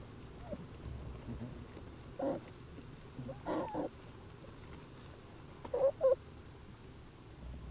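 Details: Jewel, a wild American black bear mother, in her den with her cubs on March 18, 2012, during a researchers' visit; a few short tonal squeals and mewing calls rise out of a quiet, low background rumble.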